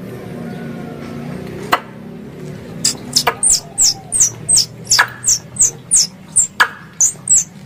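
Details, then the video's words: Hunting lure of squirrel calls: after a quiet opening with a single click, a fast run of shrill, descending chirps begins, roughly two or three per second, punctuated by loud snapping clicks. "Suara Tupai 3 In One Terbaru Sebagai Penyempurna Suara Pancingan Tupai"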